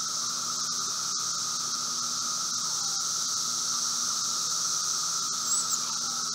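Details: Late-spring Brood V periodical cicadas near a residence in Logan, Ohio, afternoon of 4 June 2016: dense, unchanging shrill drone over a quieter lower hum, with a few faint clicks.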